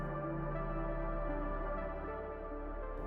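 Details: Soft, sustained ambient synthesizer music with steady low tones and no animal voice. Layered held chords fill the whole passage, with no calls or natural sounds.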